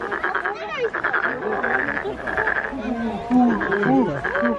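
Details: Frog calling at the Nowon lantern festival in Korea, cheeks looking ready to burst: rapid raspy pulsed croaks in bursts about twice a second, with people's voices talking and exclaiming close by throughout.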